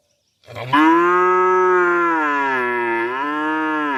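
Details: A calf gives one long, sustained moo lasting over three seconds, steady and rich in harmonics, dipping slightly lower near the end.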